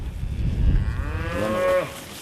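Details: Mother cows with calves turning the other way as the farmer tries to drive them through a gate on a grass farm near Delaplane, Virginia; a short, fairly high moo rises over low rumbling noise and ends abruptly.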